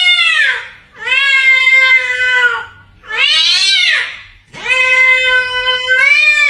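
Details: Indoor house cat making strange sounds: four long, loud, drawn-out yowls, each with rich stacked harmonics, bending up at the start and sagging at the end, separated by short pauses.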